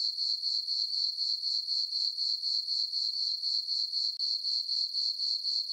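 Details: Crickets in a farm meadow at night in summer, full moon overhead; high, bright chirps pulse quickly and regularly, close to four per second, with only a brief dip in level near the end.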